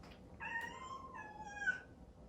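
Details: Exotic Shorthair kitten, a cream cat born April 2019, crying early in the morning after breakfast, wanting to see its sleeping owner: two long drawn-out meows, the first falling and the second wavering, in a quiet indoor room.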